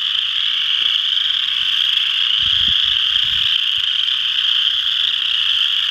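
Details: Many western chorus frogs at Ojibway Park, Windsor, Ontario, keep up a constant high-pitched trilling chorus; brief low thumps of handling or wind around the middle.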